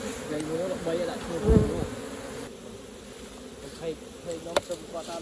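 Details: Honey bees buzzing around a hive being opened for honey harvesting. A low hum is broken by a loud thump and scraping from handling, then the droning eases and continues more quietly.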